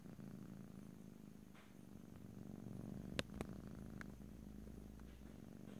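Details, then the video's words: Pet cat purring softly in close stereo: a quieter low pulsing rumble under a few sharp clicks and small handling or movement sounds midway through; indoors, no talking. "ASMR Cat: Purring"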